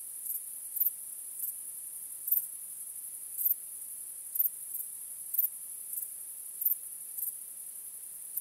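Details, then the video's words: Starry-night crickets keep up a piercing high drone, with accented chirps breaking through irregularly, about every half to one second. "Cykanie Świerszczy 🦗 Gwieździstą Nocą 🌙 {Night Crickets Sound}"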